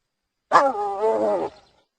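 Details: Hyena giving one harmonic, slightly wavering call that lasts about one second and fades out at the end, with quiet surroundings and no other clear sounds.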